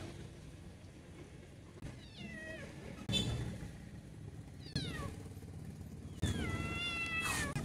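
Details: Abandoned white kitten, a domestic cat found alone in the street, meowing with several high, descending wavering cries spaced a second or two apart, over low urban traffic rumble.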